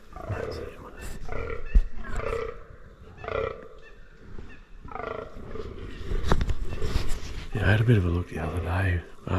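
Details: Deep belching groans from fallow deer bucks in the 2023 rut come in a steady series about once a second, growing louder and more layered near the end, with a man's low voice talking in the background.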